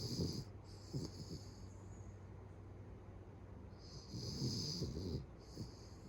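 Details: Pet Beagle fast asleep, its heavy snoring escalating to a man's level: two long, rasping snores about four seconds apart, each with a hissing edge, over a faint low room hum.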